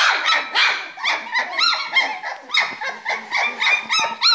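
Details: A litter of Springer Spaniel puppies, three weeks old, at play in a box: a dense, rapid stream of shrill squeals and short whining yips, several pups calling over one another almost without pause.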